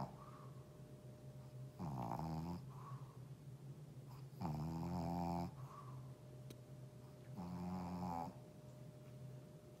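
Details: Shih Tzu snoring indoors: soft, nasal, buzzing snores, each lasting about a second and returning roughly every two to three seconds, with a faint steady hum in the room.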